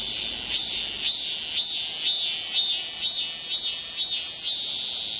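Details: A cicada singing on a tree at very close range in July 2018 in Seoul, South Korea, gives a loud, hissing drone that swells in rhythmic pulses about twice a second.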